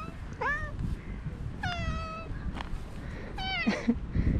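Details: Park stray cats crowding around as one is stroked call out in three clear, tonal meows, each bending upward then down, spaced about a second apart against quiet low background noise.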